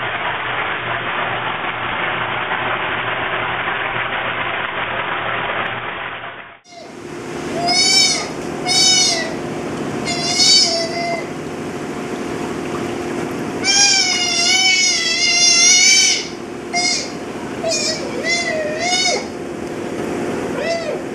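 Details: Ollie, a young sea otter in his first two months at the Aquarium of the Pacific. Several seconds of steady hum give way to repeated high, squealing calls with harmonics, some rising or wavering, over constant water-pump noise.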